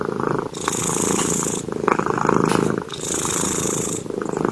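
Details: Cat asleep, snoring with a continuous grainy rumble that swells and eases with each breath, broken by airy hissing inhalations roughly every second and a half.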